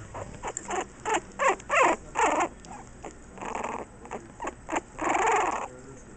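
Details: Jack Russell Terrier puppies being weaned, trying formula from a bowl instead of a bottle for the first time, 25 June 2009, filmed on a Kodak EasyShare Z712IS camera; short breathy whimpering and lapping bursts, irregular, several per second.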